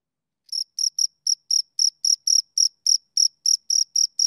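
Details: Two crickets chirping: after half a second of silence, about fourteen short, high, clean chirps follow at a steady pace of roughly three to four per second, with nothing else audible.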